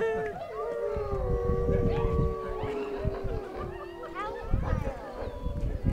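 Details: At a wolf park, several gray wolves join a howling chorus that coyotes started, with long sustained tones sliding slowly downward and overlapping.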